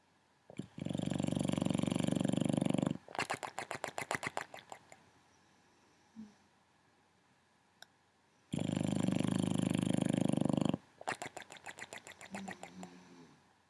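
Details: A male foster Boxer named Lucky, or Loki, cared for by NorCal Boxer Rescue, gives two long, loud, grating snores of about two seconds each, each followed by a fast trailing rattle, with a soft low murmur between.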